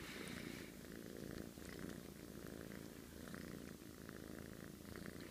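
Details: Sleeping domestic cat snoring: a steady low, rough rumble of rapid pulses running throughout, with brief soft higher clicks and rustles over it.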